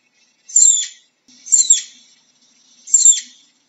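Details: Three shrill, raspy flying squirrel chirps, each starting very high and dropping quickly, separated by short pauses in an otherwise quiet background.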